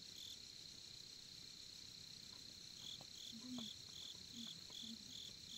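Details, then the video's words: At a campsite in Korea by the campfire, a nearby cricket repeats brief high chirps about every half second over a steady background trill, with soft low voices in the distance. "캠핑장의 귀뚜라미 소리"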